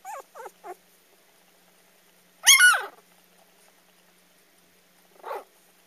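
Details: A dog giving its first bark: three quick high whimpering yelps, a pause, then one loud rough bark, and later a single softer yelp in a quiet room.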